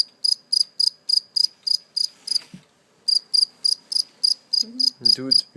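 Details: A caught live cricket chirping indoors before being released: short bright chirps repeated about four times a second, a brief pause midway, then the run resumes, with faint human voices near the end.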